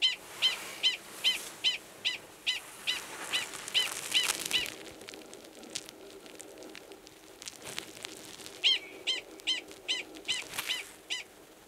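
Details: Wild Gunnison's prairie dog, a male calling to an estrous female already belowground, Valles Caldera, New Mexico, March 2017; rapid series of sharp barks at about two per second, a pause, then a second run.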